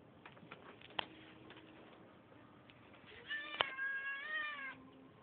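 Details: A neighbourhood cat with a bit of an attitude lets out a loud, drawn-out, wavering meow lasting about a second and a half. It follows scattered soft taps and clicks, and a sharp knock sounds partway through.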